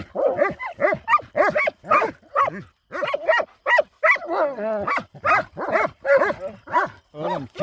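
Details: Kangal dogs at night on a farm, harassing a harmless hedgehog: a steady volley of loud, resonant barks, about two per second, with a short harsher growl around the midpoint.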